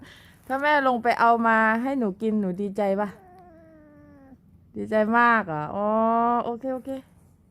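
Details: A three-month-old Scottish Fold kitten with British Shorthair looks, indoors, talking back to its owner: two long drawn-out meows with wavering, slightly bending pitch and short breaks, the second following after a pause.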